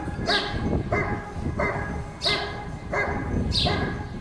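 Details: Giant Schnauzer Rick vom Lindelbrunn at a 2022 IGP CACT dog sport trial in Russia, giving a steady run of loud, harmonic-rich barks about every two-thirds of a second, six in all, over a low rumbling background.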